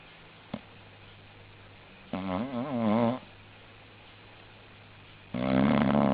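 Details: Sleeping English bulldog snoring: after a soft snuffle, a wavering, gurgling snore rises and falls in pitch for about a second, then quiet, then a louder, harsher rasping snore at the close.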